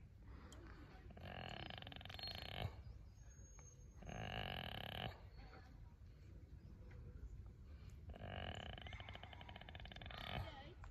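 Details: Baby goat Jeffers snores appreciatively while being tickled, giving three long, throaty, rattling buzzes of one to two and a half seconds each, separated by quieter breathing gaps.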